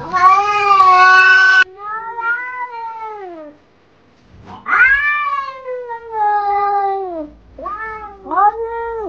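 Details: Pet cat producing a run of five long, whining meows: the first loud and flat, the rest arching up then sliding down, with a short silent pause midway through.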